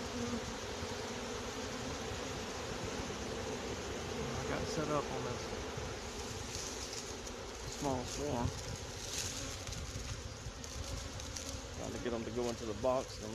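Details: Small swarm of honey bees being coaxed into a box, continuous low droning hum with several louder buzzing passes of bees flying close, brief speech also present.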